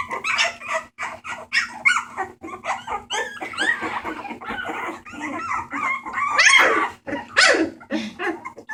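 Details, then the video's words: Several Bulldog puppies awaiting adoption at a rescue, recorded 28 March 2014, making noise together: a dense chorus of high yips, squeals and whimpers overlapping with little pause, some calls sliding upward, with a steady low hum beneath. "Puppies making noise"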